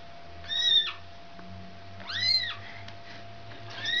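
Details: Domestic cat meowing while a mother cat takes her kitten back home from a child: three high, arched meows, each rising then falling, about a second and a half apart, over a steady electrical hum in a quiet room.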